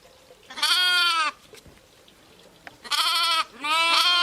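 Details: Sheep, ewes and lambs: two loud, wavering bleats with a rich harmonic tone, each about half a second to a second long, separated by a quiet gap with faint background noise.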